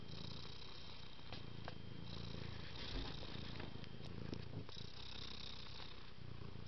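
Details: Domestic cat purring in a close, steady low rumble, with faint cycling between inhale and exhale phases and a few small clicks over the top.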